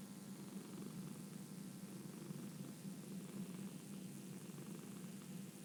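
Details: Low, soft purr of a domestic cat, an unbroken rumbling hum with an even, gentle pulse from start to finish.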